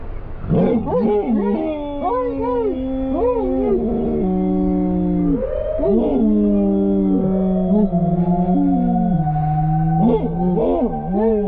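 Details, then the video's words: German Shepherds Silas Roso and SGT. Elias howl together in Albuquerque, New Mexico, set off by a passing firetruck's siren: sustained, rich, quavering howls with bending pitch, the two voices rising, dipping and overlapping throughout. "German Shepherds React when Sirens Go Off!"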